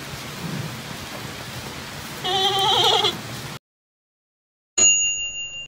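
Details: A giant panda gives a single wavering, goat-like bleat lasting about a second against a steady hiss; a call unlike those of its bear relatives.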